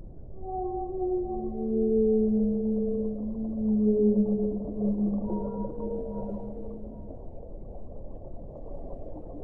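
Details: Whale song: overlapping, drawn-out moans, some sliding upward, layered in harmonics and swelling in loudness, trailing off into a low muffled rumble.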